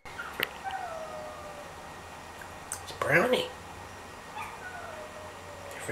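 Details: A female dog calls out toward a friend's house down the street with a single short arched yowl midway. Faint long falling whine-like tones drift in the background, and a person speaks encouragingly.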